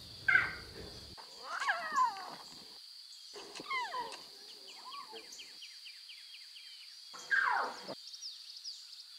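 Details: Wild lion cubs with their mothers in natural surroundings, meowing: several short, high, falling mewing calls in separate bursts, some doubled, with quiet gaps between them, over a steady high-pitched whine in the background.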